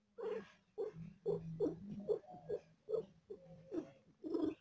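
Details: Domestic cat giving birth to four kittens and in pain: a loud, throbbing purr of regular pulses, about one every second, with a low steady hum beneath rougher breathy bursts.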